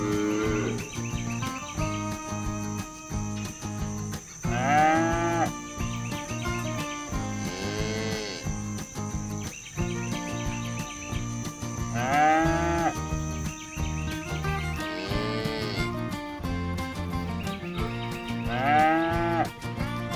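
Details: Herded village cows roaming the fields, calling their herd mates home to the barn: about five long arched moos, harmonic and rising then falling, spaced a few seconds apart over a steady rhythmic music bed with a faint high hum.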